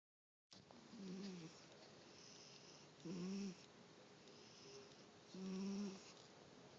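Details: Pet cat snoring while awake indoors: rough, low snoring breaths about every two to three seconds, each a short grating burst with a faint hiss between, in a quiet room.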